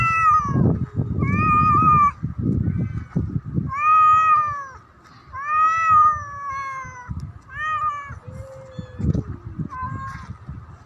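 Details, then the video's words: Black cat warning off another cat with repeated arching yowls every second or two. Rough low growls fill the gaps, and a softer descending moan follows. "Black Cat Threatens the Other Cat for Making Noises Loudly Near Me !"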